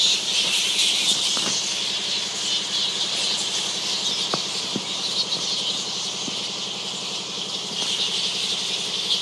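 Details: Fruit bats in Zanzibar: a dense, shrill chatter of many overlapping squeaks forming a constant high hiss, broken by a few sharp clicks and snaps.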